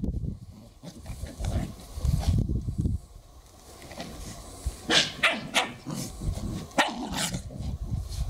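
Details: A Lhasa Apso gives short, irregular barks and low, growly grumbles in quick bursts during odd play.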